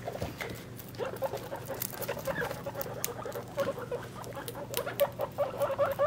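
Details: Three-week-old baby guinea pigs with their mother, during weight measurement: bright, thin squeaks come in quick uneven bursts amid rustling, clustering more tightly in the last seconds.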